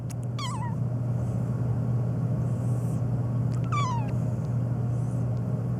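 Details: Black domestic cat meowing nonstop, said to react especially to sneezing: two short, wavering meows that slide downward, one near the start and another about three seconds later, over a loud, steady low hum or engine-like rumble.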